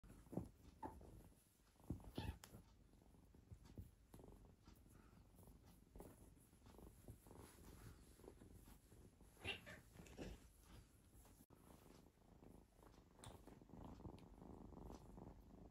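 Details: Three playing cats; a quiet, steady low rumbling purr runs through the whole stretch, broken by soft rustles and handling thumps, with a slightly louder burst near the start.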